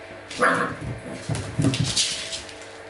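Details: Dog during a training session with acoustic and optical stimuli; one short, high yelping bark near the start, followed by several noisy, thudding bursts and clattering sounds.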